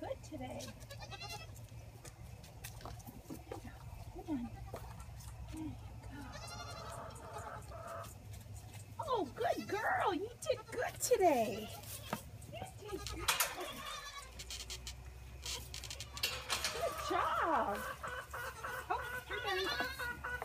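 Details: Orphaned Boer goat kids at bottle-feeding time, recorded on an iPhone on a gate: scattered wavering bleats rising and falling, some overlapping, mixed with a woman talking and rustling, clanking noises.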